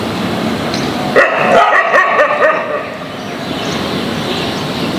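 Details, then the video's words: Dogs unhappy with each other, barking: a loud burst of about eight rapid, harsh barks packed into under two seconds, set against steady background rumble. "Dogs Barking. Dog Barking Sound. Dogs Barking Loudly"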